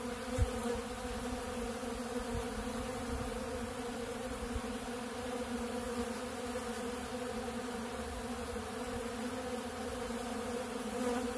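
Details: Many honeybees gathered at a big blue feeder of ultra bee pollen, making a continuous buzzing drone with stacked low tones and no pauses, plus a faint tap near the start.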